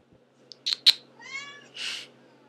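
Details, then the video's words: House cat that meows all the time: a short sharp chirp and two clicks, then a thin wavering meow and a breathy, hissing burst at the end. "Antigone the Meower"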